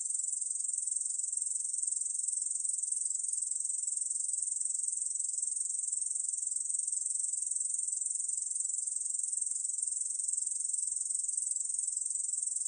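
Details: Korean bush cricket singing nonstop, an even sizzling trill high in pitch with rapid regular pulses and no pauses, from National Institute of Biological Resources recordings of 2020.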